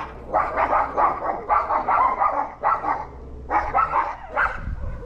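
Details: Pet dogs hostile toward a neighbour's dog that had entered their yard and eaten their food, recorded August 17, 2022. Loud clustered barks come in short volleys about a second long, separated by brief pauses.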